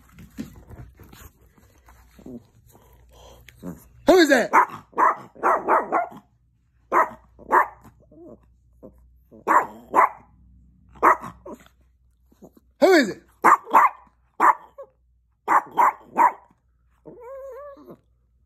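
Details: Chihuahua woken from sleep to alert someone at the door, barking in rapid bursts of two to four sharp yaps with short pauses, sustained through the recording indoors, with faint voices in the background.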